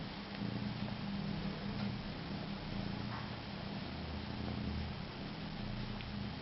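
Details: House cat sucking on itself while giving a low, even purr, a continuous buzzing rumble that swells and fades gently, with constant background hiss.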